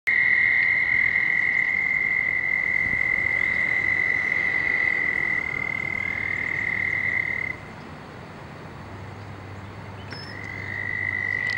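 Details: Frogs very active in their mating ritual: a steady high-pitched trill runs unbroken for about seven seconds, pauses, then resumes near the end over a constant background hiss.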